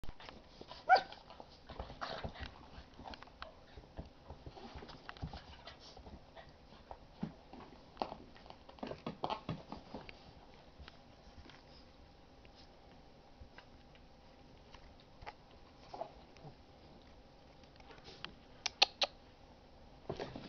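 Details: Two young dogs at play indoors: Mitzie, a 3-month-old English x Olde English Bulldog, chasing the tail of Chonny, a 10-month-old Basset Hound x Pug. Brief scattered yelps and grunts break through soft scuffling, with a few sharper bursts near the end.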